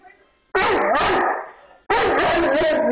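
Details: Two loud, rough bursts of vocalising from Grim, a 230-pound Bullmastiff, howling along with a mini harmonica rendition of Twinkle Twinkle Little Star by Jimmy Fallon. Each burst lasts over a second with wavering tones, and they are separated by a short gap.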